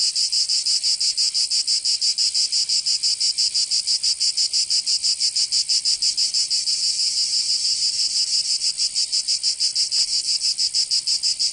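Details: Provençal cicadas in summer, southern France, sing a shrill, grating drone beating in quick, even pulses about three per second, sustained for the whole stretch with a single brief click near the end.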